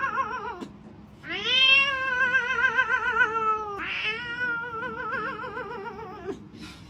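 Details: Cat giving long, drawn-out wavering meows, two sustained yowls with a quavering pitch, the second starting high and sliding lower, over faint background music.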